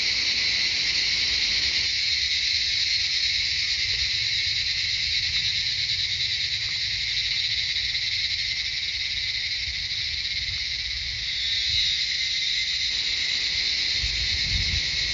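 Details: Cicadas sing in a dense, continuous high-pitched drone with layered shrill bands in the jungle of Shivapuri Nagarjun National Park, north of Kathmandu, Nepal.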